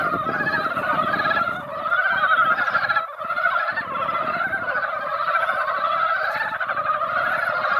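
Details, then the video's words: Rain-drawn mountain frogs gathered in a mountain pond produce a boisterous, unbroken croaking chorus in waves, with brief lulls and low rumbling noise underneath. "산개구리 노래"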